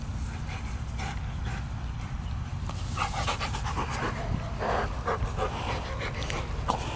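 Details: Labrador mix dog panting steadily, quick rhythmic breaths with a breathy hiss throughout, over a constant low background rumble.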